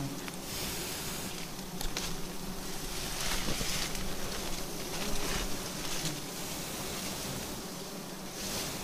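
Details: Bees swarming at a wild nest hanging on an upright tree trunk while it is being harvested: a dense, steady droning hum with strong low tones, under a broad hiss of wind or rustling.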